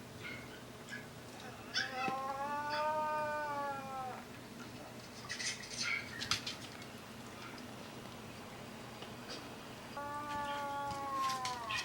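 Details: Howling reply from an older sister dog to her younger sister's cry indoors: two drawn-out, steady, tonal howls several seconds apart, separated by a cluster of sharp clicks and yelps.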